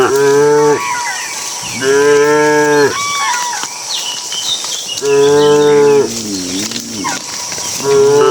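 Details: Evening herding of dozens of cattle into the pen; loud, drawn-out harmonic moos about every three seconds, one wavering in pitch, with a faint steady hum behind.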